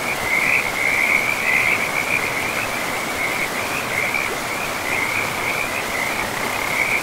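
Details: Frogs calling beside a river deep in a pristine forest of moss-covered land: a steady run of high, wavering trilled notes throughout, layered over a constant broad rush of flowing water.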